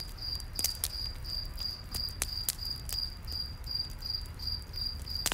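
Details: Crickets in a night forest keep up a shrill, pulsing chirp while loud crackles and sharp pops from a nearby campfire punctuate the sound over a low hiss.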